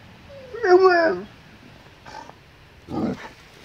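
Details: Alaskan Malamute vocalising in puzzlement because its owners are simply standing still: one loud, wavering, whine-like yowl that rises and falls, followed by two shorter, softer muttering calls after a pause.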